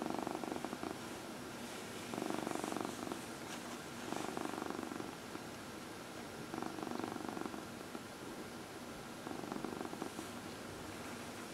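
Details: Massaged domestic cat, one of four, purring indoors; a rhythmic low rumble that rises and falls with each breath, pulsing about four times a second, with light rustling of fur and hands.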